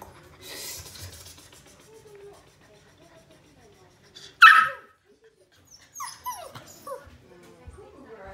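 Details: A male Golden Retriever puppy born May 29 and filmed July 14 gives one loud, sharp, high cry. A few short, falling whimpering yelps follow over quiet surroundings.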